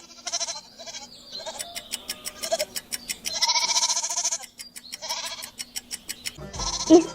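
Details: Goat bleating as a farm-animal quiz sound: several quavering, wavering bleats, the longest lasting about a second, spread through the clip over a steady ticking clock.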